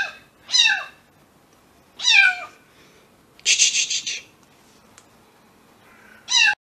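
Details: A young grey kitten, a former stray on its second day in a new home, gives high, thin mews that drop in pitch, spaced a couple of seconds apart. A short breathy, hiss-like burst comes between them as it hides and hisses.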